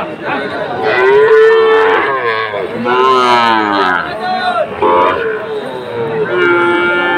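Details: Sahiwal bull calves at a Chattogram cattle market on 22 October, where traders are buying. Several loud, drawn-out harmonic moos overlap, each lasting about a second, some falling in pitch, over a background of crowd chatter.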